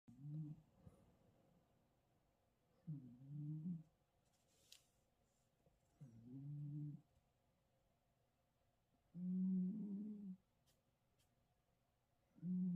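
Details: A sleeping Russian Blue cat snores in low, rough bursts, one breath roughly every three seconds.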